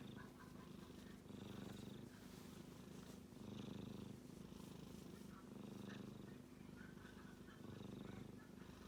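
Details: Male kitten snoring in its sleep, a buzzy low rumble rising and easing with each breath about every two seconds, with a faint trace of a voice in the background.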